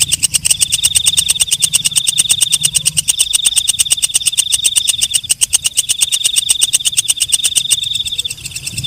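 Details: Night-calling walang kecek katydid producing a continuous shrill trill with fast, regular clicking pulses throughout, the trill breaking briefly around three, five and eight seconds before settling into pulses alone.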